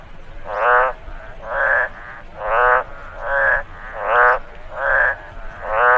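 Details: After rainfall in a rice field, a frog gives loud, harmonic croaks repeated about every eight-tenths of a second.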